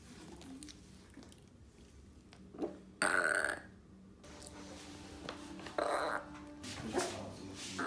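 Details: Yorkshire Terrier named Dragao, a pet dog that burps after every meal, lets out a short, loud, breathy burp in a small indoor room, with softer rustles and small clicks before and after.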